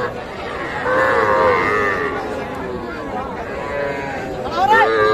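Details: Cattle at the Ambari cattle market in Parbatipur, Dinajpur, Bangladesh, on Friday 24 May 2024, among small bulls and heifer calves; a drawn-out harmonic moo rises above dense market chatter and crowd noise, with a shorter call near the end.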